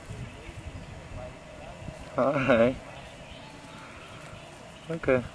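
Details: Sea lion pup alone on a beach in the Galapagos Islands in 1999, mother away; two loud, wavering bleating cries, the first longer and the second shorter near the end, with quiet background noise between.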